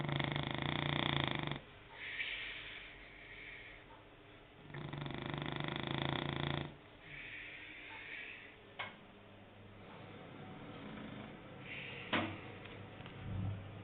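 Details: French Bulldog snoring: two loud rattling inhales about five seconds apart, each followed by a wheezy exhale, with a few sharp clicks and snorts in quieter gaps.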